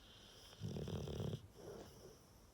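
A Rottweiler snores with a deep, rattling rumble on the in-breath and a softer wheeze after.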